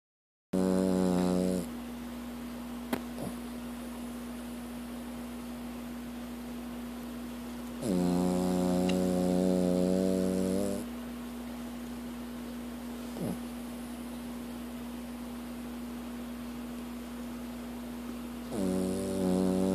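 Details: Sam, a dog, snoring while sleeping in comfort: loud, droning, harmonic rumbles lasting one to three seconds return roughly every eight to ten seconds, with a steady low hum running underneath throughout.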